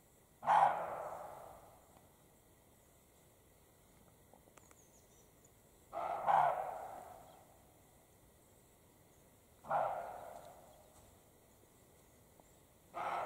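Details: European roe deer, male and female, in spring mating period in the Carpathian mountains: harsh, dog-like single barks, rasping and broad, each dying away over about a second, four given at intervals of roughly three to five seconds against a quiet background.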